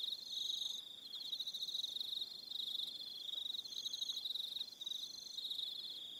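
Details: On Aroha Island in New Zealand, crickets call in the evening. A shrill, finely pulsed trill runs continuously, and brief higher tones recur over it about every second.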